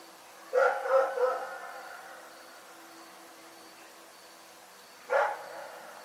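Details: Rex the dog barks in the night, three rapid barks tumbling together, a pause of several seconds with only a low hum, then one more single bark.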